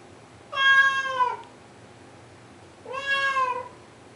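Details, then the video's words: At 2am a blue point Siamese cat cries at a closed door, wanting its owner to open it; two long, insistent meows about two seconds apart, the first louder and falling away at its close. "siamese cat crying & talking"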